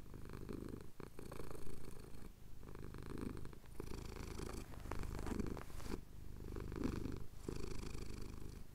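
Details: Contented purring of a male domestic cat having his chin scratched as the sun rises over the Cotswolds, Tascam DR-07X recording; a low vibrating drone rising and falling in breath-paced swells every two seconds or so.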